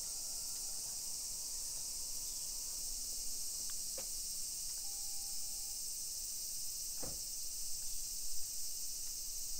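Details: A steady, high-pitched hiss of summer cicadas fills the air over a hillside residential suburb in Nisshin near Nagoya, Japan, at 1 PM on 28 July 2021, with faint footsteps and knocks beneath.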